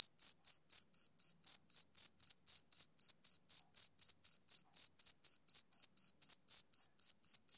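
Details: High-pitched, evenly timed chirps from a male cricket in summer evening conditions; crisp pulses come about four each second in an unbroken, metronome-like series with nothing else audible.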